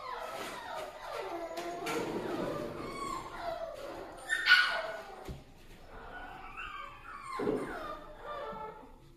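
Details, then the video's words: Newborn Toy Poodle puppies, freshly born and healthy, give clear tonal squeals that rise and fall in short bursts, separated by brief gaps. A few sharp knocks are heard partway through. "トイプードル 可愛らしく健康的な赤ちゃんが産まれました"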